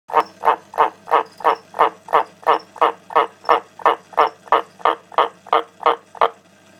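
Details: Pet frogs croaking: a steady series of short, hoarse pulsed croaks repeated about three times per second, even in rhythm and loudness, ending abruptly after about six seconds, with no other sounds.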